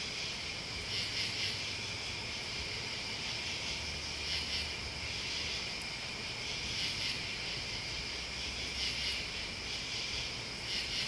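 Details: A continuous high, hissing trill from crickets and bugs, overlaid by sharp pulsed bursts at the top of the range in irregular clusters, and a soft low hum in the background.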